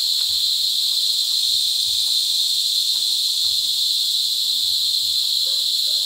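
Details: A close cicada chorus during the mating season in La Carlota City, Negros Occidental, at Sitio Bagumbayan, Brgy. Balabag, July 18, 2020: a relentless, shrill high buzz that never breaks, with only faint murmurs beneath it.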